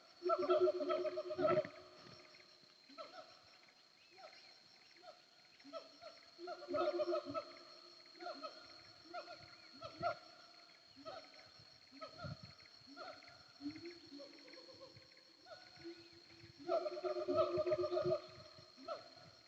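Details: Wild siamangs heard at Bukit Kalowan, the hills between Nagari Paru and Nagari Durian Gadang: dense, overlapping booming barks and hoots, building into louder rapid bursts at start and end, with low thuds and a continuous high whine.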